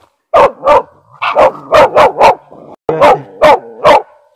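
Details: Hunting laika barking at quarry during a hunt for raccoon dog in a large forest with windfalls and thickets; loud, sharp barks mostly in pairs, about nine in four seconds with short gaps, no other sounds.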